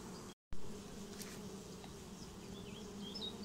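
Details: A honeybee swarm settling into a new home gives a constant deep hum with a brief gap of silence near the start, a sharp click, and a few soft bird notes toward the end.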